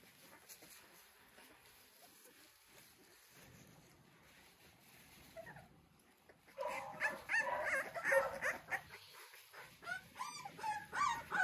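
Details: Three-week-old American Bully pups of the King Clyde and Dynasty litter, 2022; near-quiet opening with a steady high hiss, then from midway a busy run of overlapping squeaky whimpers and yips, rapid and irregular.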